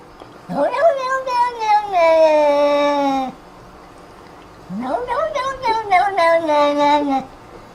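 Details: Two long, wavering meows from a domestic cat, each rising at onset then sagging into a drawn-out falling tail, separated by a short silence indoors.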